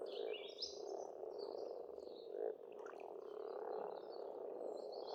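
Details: Frogs in spring at a pond on an Estonian farmstead: a dense, steady croaking chorus of many callers blending into a continuous hum, with thin high bird chirps and twitters drifting over it.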